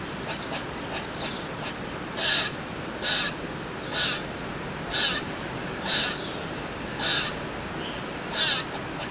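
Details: Squirrel on a balcony making a strange, persistent noise: loud harsh rasping barks repeated roughly once a second, some pauses longer, with faint quick ticks between them and steady background hiss.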